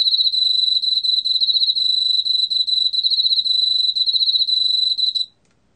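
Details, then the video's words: Korean field cricket singing in a 2020 National Institute of Biological Resources recording. A bright, high, pulsing trill of rapid chirps runs for about five seconds and then stops abruptly, leaving silence. "왕귀뚜라미, 여러번 듣기, 곤충소리"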